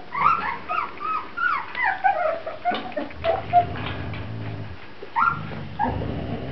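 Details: Whining Grand Basset Griffon Vendéen pups: clear, high whimpers repeated about twice a second, each a short bent squeal, easing into a pause with low rumbling, then a fresh pair of cries near the end.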